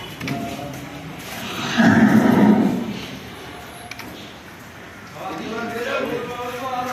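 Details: Cattle at RK Agro in Bogura, a farm offering improved cattle of all breeds, give one low, drawn-out moo of about a second, with people talking and general farmyard bustle around it.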